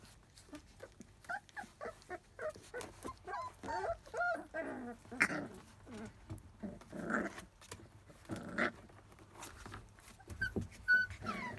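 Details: Field-type Labrador Retriever puppies, 27 days old, teething and biting at everything within reach. Rapid squeaky growls and grumbling whines come in short repeated bursts, building to louder harmonic yelps and a thin high whimper near the end.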